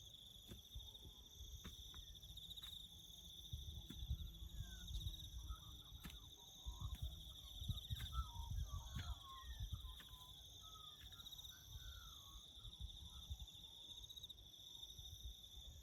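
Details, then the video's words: Bush crickets keep up a steady high pulsing trill while several birds add brief chirps and twittering notes in the middle, with low rumbling from farm work underneath. "crickets chirping"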